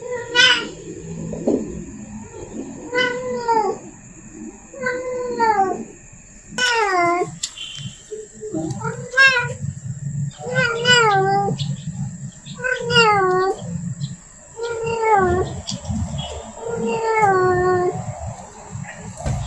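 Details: Calling to attract a male, a female cat in heat repeats about nine short, falling, strongly harmonic yowls at roughly two-second intervals above faint low hum.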